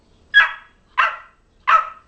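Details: Boxer puppy Chloe, ten weeks old, during a trick session: three sharp, high yappy barks about two-thirds of a second apart, each a bright burst fading quickly, with a quiet room between them.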